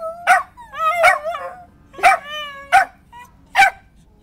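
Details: Dog responding to Saturday noon tornado sirens with short wavering howls and yips, about five bursts in four seconds, each with a sharp click.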